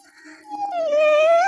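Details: Nine-month-old puppy Chikku whimpers, upset that the man of the house left without him. A soft, low start swells into a loud, sustained, slightly wavering whimper that rises at the end.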